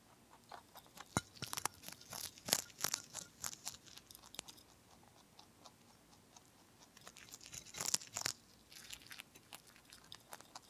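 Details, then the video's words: Bunny ZZ, a lion head and Dutch mixed-breed rabbit, munching broccoli indoors: sharp crisp crunches in quick bursts, busiest near the start and again around eight seconds, with quiet pauses between bites in a small room. "BROCCOLIS and RABBIT / ASMR / MUKBANG / Eating Sounds"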